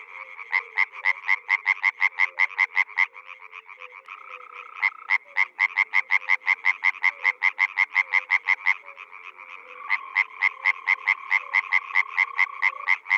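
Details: Rice-field water frog giving long runs of rapid, evenly spaced rasping croaks with brief pauses between bouts, a steady hum of other calling frogs and a faint lower droning note behind.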